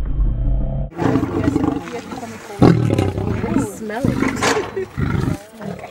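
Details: Caged lion giving a deep, rumbling roar for about a second at the start, then lower growling continues beneath loud human voices talking over it.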